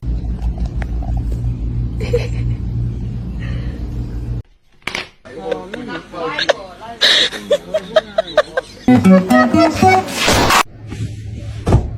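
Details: Indoor speech and laughter over guitar music, with a quiet gap near the middle and sharp clicks and bursts toward the end; no animal voice stands out.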